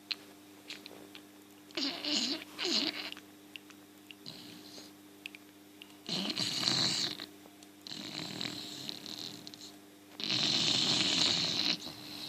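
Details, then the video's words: English Bulldog snores in loud, raspy bursts with a wheezy, hissing edge; its tongue comes out and spasms as it snores. "English bulldog funny snoring"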